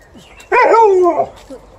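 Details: Alaskan Malamute reacting to a broom, letting out one drawn-out, wavering woo-like howl lasting under a second, bending upward then sliding down, followed by a brief faint trailing note.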